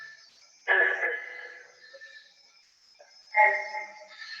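Green frog giving two abrupt, twangy plunks like a loose banjo string, a few seconds apart.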